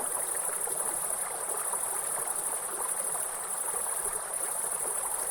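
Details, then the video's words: Grasshoppers in a forest beside a waterfall, giving a steady, unbroken high-pitched shimmering buzz, heard over loud rushing water throughout. "Real forest and grasshopper sound with soothing waterfall sound"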